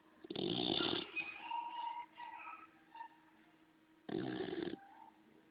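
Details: Homer, a bulldog, snoring in his sleep: a long, rough, rattling snore, then a quieter gap with faint tonal murmurs, and a second harsh snore about three and a half seconds later.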